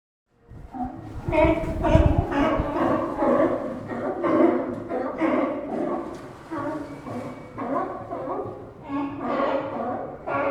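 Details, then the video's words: Sea lions resting along the Santa Cruz docks give deep, echoing barks in a dense chorus, several animals overlapping at roughly two barks per second, with a loud thump near the start and pier ambience beneath. "Sea Lions Sound Effect – Realistic Santa Cruz Dock Audio"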